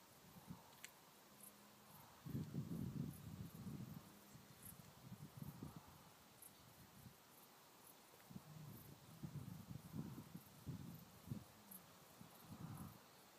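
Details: Red deer (Cervus elaphus) stag roaring in deep, guttural bursts of pulsed groans during the rut, heard from a distance while holding hinds in its harem on Westerton Heath, RSPB Minsmere, Suffolk, on 9 October 2012.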